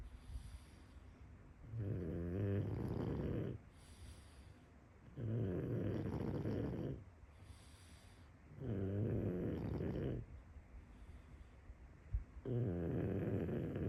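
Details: A full-breed pug snores in deep, rattling bursts, each about two seconds long with quiet pauses between.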